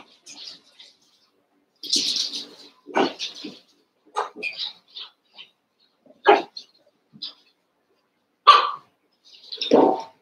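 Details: Seven-week-old Cavalier King Charles Spaniel puppies, eight together in a pen, wrestling and playing; scattered short yips and barks come at irregular intervals, some high and squeaky, others lower and fuller, with quiet gaps between.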